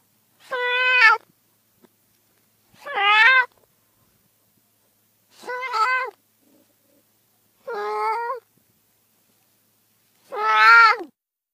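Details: Domestic cat uttering five separate meows spaced about two to three seconds apart, each short, strained and slightly wavering, with quiet between them.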